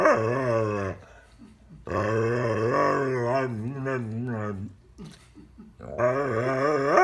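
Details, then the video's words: Rescued female dog lecturing its owner, as it does almost daily for ten years: long, low, wavering growl-moans with rising and falling pitch, two drawn-out bouts split by a quieter pause, a third starting at the end. "Dog gives owner another rough talking to."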